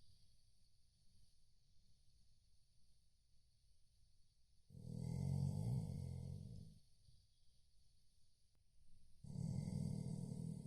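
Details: Snoring Chow Chow dozing: quiet breathing gives way to two loud, low, rattling snores spaced about four seconds apart, each lasting around two seconds, under a constant faint hiss.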